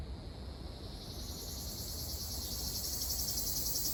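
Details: Ryukyu large brown cicada singing in Okinawa on June 4, local name Nābikachikachī: a dense, continuous high-pitched hiss with layered shimmering bands that grows slightly louder toward the end, over low ambient rumble.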